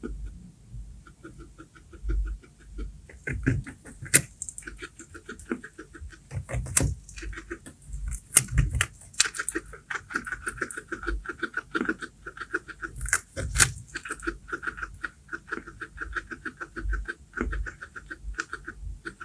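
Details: A guinea pig eating baby corn, chewing with rapid crisp crunches and clicks in quick, uneven bursts.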